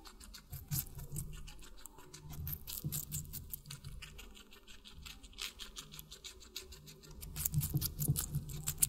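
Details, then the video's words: Watermelon being munched by a guinea pig: dense, fast crunching and wet chewing taps at an uneven rhythm over a low constant hum, growing louder and busier toward the end. "Guinea Pig Eating Water Melon"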